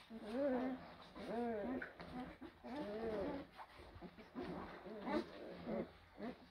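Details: Blue Great Dane puppies, from litters born in April 2023, give a run of arched whining yelps about once a second, each rising then falling in pitch, with soft rustling behind.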